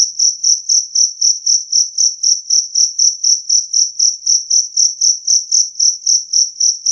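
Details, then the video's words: Steady chirping of a two-spotted cricket, recorded clear and loud to drive off rats: high, ringing pulses repeated almost four times a second with an even beat, in silence. "Suara Jangkrik Kalung Jernih"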